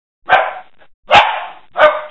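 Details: Dog, a mother with her pups, playing in February 2016: three short, sharp barks about 0.7 seconds apart, each a rough burst that trails off quickly, in an otherwise quiet room.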